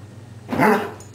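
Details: A happy hound indoors lets out one short, rough bark that swells and fades within half a second, with a low hum underneath.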